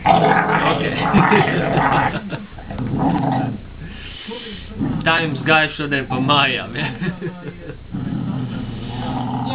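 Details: Female Cesky Terrier "talking" about her day at home: grumbling, growly vocalizing that breaks into wavering, yodel-like whines midway, mixed with people speaking nearby.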